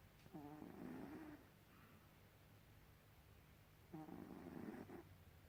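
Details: Snoring from Gribouille, a pet cat: two drawn-out buzzy, rattling breaths about a second each, separated by a quieter gap of over two seconds.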